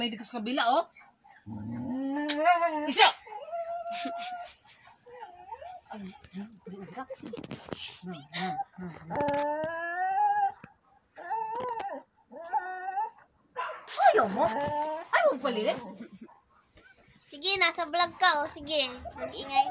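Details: Siberian Husky arguing: drawn-out, wavering whines and yowls that slide up and down in pitch, delivered in uneven bursts with short pauses, rising to sharper squeals near the end; a human voice is heard between them.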